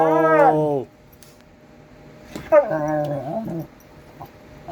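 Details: Pet dog yowling indoors, two drawn-out harmonic yowls: the first steady then falling, the second wavering and dropping in pitch, with a quiet pause between them.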